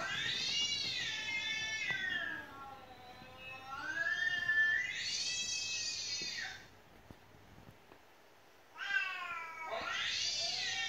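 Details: Domestic cat that would not stop crying: three long, loud, high wailing meows, each swelling and bending in pitch, separated by pauses, the last break nearly silent.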